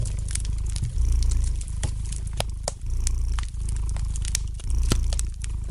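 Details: A domestic cat purrs in deep rumbling waves, louder bursts recurring roughly every two seconds, with frequent crisp snaps and crackles of a fire burning in the fireplace.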